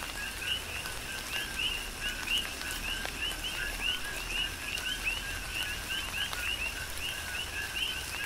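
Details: Big Island, Hawaii, in tropical rain: a rhythmic coqui frog chorus of paired chirps, each a short low tone followed by a rising higher whistle, repeated several times a second by overlapping callers above a constant hiss of rainfall.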